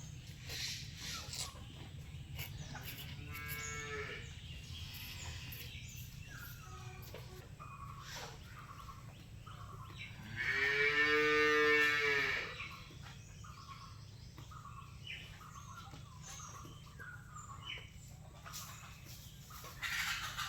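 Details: Holstein Friesian cow that has just calved after 275 days, with a female calf sired by bull no. 106, while colostrum is fed and milked: one loud, drawn-out harmonic moo of about two seconds, a fainter moo earlier, and a steady low hum throughout.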